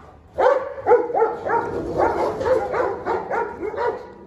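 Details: Dog squaring up to the dominant 'dog king' in a frenzied challenge; a steady run of about nine ringing barks, each arched in pitch, spaced evenly under half a second apart.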